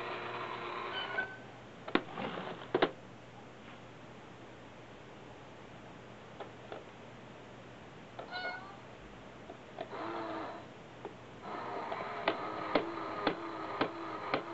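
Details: Sibling cats Nana and Hachi, a brother and sister in Osaka, paw and push at a cat coin bank they love playing with. Harmonic meows come near the start and again toward the end, mixed with sharp clicking and knocking from the bank.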